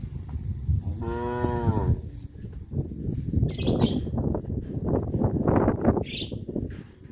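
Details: Cows on a traditional village farm, passing the road by the fish ponds toward the grazing fields: one long, harmonic, slightly wavering moo lasting about a second, followed by a rustling, shuffling background and faint bird chirps.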